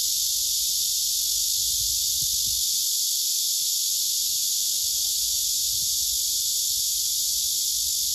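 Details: Male cicada singing on a tree among several other cicadas, filmed with a phone: a steady, dense, high-pitched hissing buzz holding without a break, with faint low rumbles underneath.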